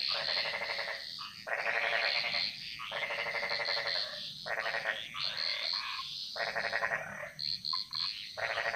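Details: Chorus of frogs in a Balinese jungle, their song echoing: harsh, pulsed rattling croaks lasting roughly a second each, several in overlapping succession, with brief higher calls and a steady faint hiss between them.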